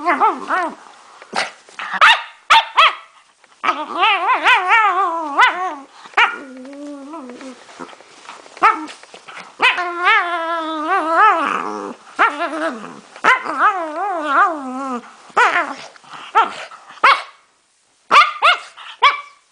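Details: A male pet dog makes strange noises: long wavering, whining howls that slide up and down in pitch, broken by short yaps and pauses, with one brief silence near the end.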